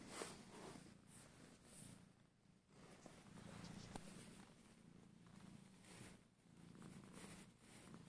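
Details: Lemon the cat, relaxed and melting, gives a soft, continuous low purr that swells and fades with each breath, with faint rustles in a quiet room.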